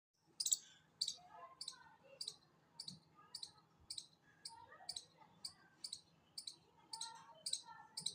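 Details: Chipmunk giving a steady series of sharp, high, clicky chips, about two each second, roughly fifteen in eight seconds, with faint softer lower chirps underneath and a quiet background.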